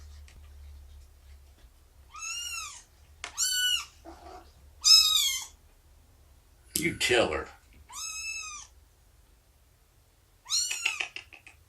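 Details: Morning nursing and play time with Shelby, a rescued mother cat estimated at two years old, and her three-month-old kittens. Clear, high, arched meows repeat about every second or two, broken once by a short burst of human voice.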